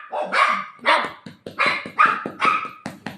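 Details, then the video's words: Golden retriever dog playing with its owner over a pillow indoors, giving short sharp barks about every half second, roughly six in a row, with a woman speaking Marathi faintly between them. "cute golden retriever dog playing with mom"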